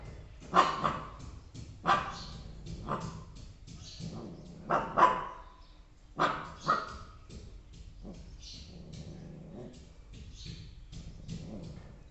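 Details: Two Bhotia puppies barking while guarding home on their first day doing so: sharp barks at uneven intervals, some doubled, fading to softer yips and faint whimpers later.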